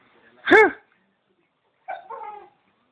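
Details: Pet dog making weird noises: one loud, sharp, tonal yelp rising and falling within half a second, then after a pause a shorter, softer, wavering voiced sound.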